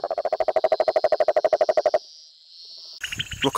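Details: A male rococo toad gives a rapid, low pulsed trill, a call heard up to 2 km away that warns off rival males and draws breeding females.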